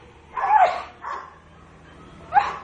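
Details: Nina, a large pet dog, barks while being told to sit: three short, harsh, mid-pitched barks at uneven gaps, the first and last loudest, with a softer middle bark and a quiet room behind.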